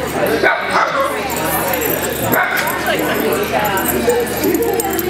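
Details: Several Italian Greyhounds playing together at Mantayo Kennels in Denver, Colorado, on a January 2014 Sunday morning rescue playdate. Short yipping barks come in scattered bursts, mixed with steady human chatter.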